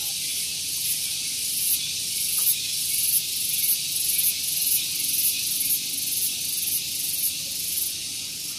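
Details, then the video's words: Cicada song at Gunung Geulis, Bogor, West Java, in the morning: a shrill continuous buzz that swells in regular pulses about every 0.7 seconds. Low background rumble from a nearby vehicle parking area. "Santuy Pagi Ditemani Suara Tonggeret"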